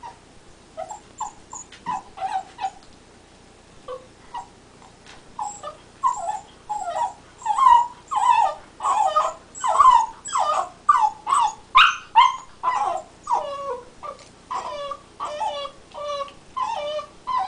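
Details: Ike, a black Labrador Retriever puppy, whimpers and yelps while chewing on things as he teethes; a quiet start builds into a long run of rapid whining yelps, mostly under a second apart, continuing to the end.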